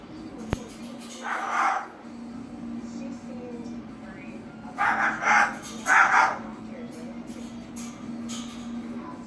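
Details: Dog named Harley barking indoors with a steady low hum throughout: one bark near the start, then three louder barks in quick succession around the middle.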